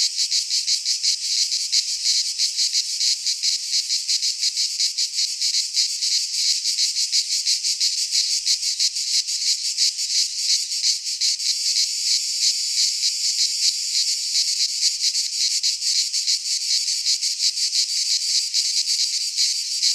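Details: Chorus of cicadas in a pine forest in Greece at midsummer, a shrill continuous buzz rich in high tones, pulsing quickly about three times a second, unbroken from start to end.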